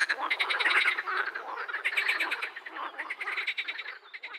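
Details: Edible frogs croaking: a dense, continuous chorus of rapid, rattling, nasal pulses running without pause throughout, several callers overlapping.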